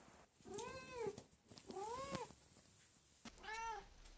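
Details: Pet cat in a home, one of three cats said to each have a different meowing voice, uttering three harmonic meows about a second apart, each rising then falling in pitch, with soft room noise between.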